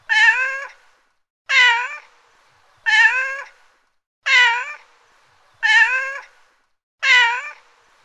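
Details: Domestic cat meowing: six clear, evenly spaced meows about every 1.4 seconds, each a short harmonic call with a slight rise then fall, in a quiet setting with no other sounds.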